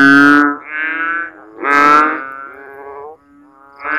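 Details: Frog calling loudly at night in the Philippines during the rainy season, after heavy rain leaves water standing in swales and ditches; loud harmonic bleating croaks with falling tails, two long calls about two seconds apart, then a quieter one.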